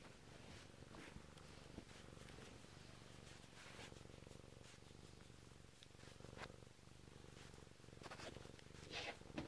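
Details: Bengal cat purring close up indoors while waking its owner: a steady low rumbling purr throughout, with soft rustling and faint clicks above it.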